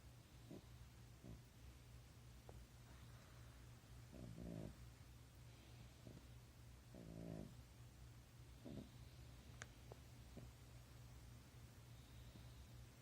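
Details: A sleeping French Bulldog snores softly, low rasping breaths recurring every one to two seconds, some bursts louder and buzzier, over a steady low hum.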